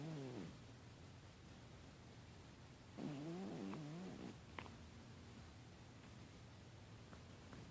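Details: Snoring of Holly, a domestic cat: a short low breath at the start, then a longer wavering, buzzy snore about three seconds in. Quiet stretches with faint room hiss and a few small clicks separate the snores.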